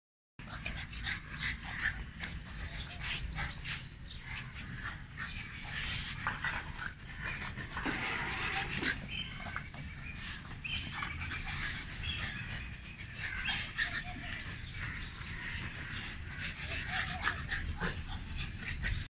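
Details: French Bulldogs playing in a garden in Pakistan pant and snort in quick, rough, breathy bursts with low grunting underneath.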